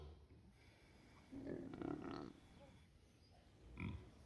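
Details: Two rescued pigs asleep together, grunting in their sleep: a low, rough grunting burst lasting about a second, then a short grunt near the end.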